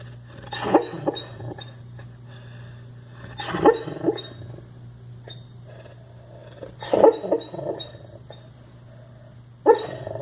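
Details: A sleeping dog snoring: rasping, snorting breaths come in bursts about every three seconds, with quieter wheezy exhales between them over a steady low hum.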